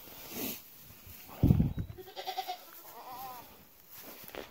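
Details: Newborn twin goat kids, just born on a homestead to a doe that rejected them, bleat in two short wavering calls among handling thumps, rustling and people talking quietly.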